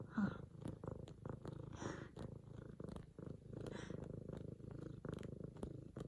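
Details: F2 Savannah cat purring loudly indoors while kneading a leopard-print pillow, excited as its owner arrives home from work; a steady low rumbling pulse runs throughout, with faint soft sounds above it.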